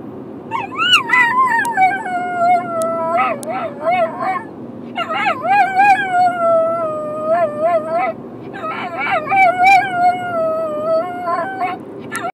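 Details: Pavarotti, a pet dog, howls in displeasure at Byron being left at home: three long wavering, sung-sounding howls that slide up then hold and dip, each bout several seconds long with brief pauses between.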